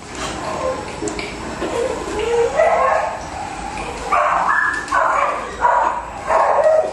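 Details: Sick Pomeranian dog whimpering and whining in high, wavering tones that rise and fall, with short strained cries growing louder toward the end.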